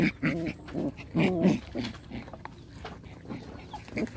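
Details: Rottweiler puppies fighting in play, with short harsh growling yelps in quick bursts about every half second, then quieter scuffling and a final yelp.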